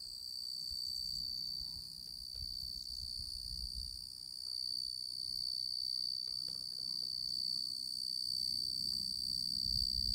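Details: Male tree cricket of the genus Oecanthus singing: a steady, unbroken high-pitched trill with a bright ringing overtone above it, holding even loudness throughout, with faint low rumble underneath.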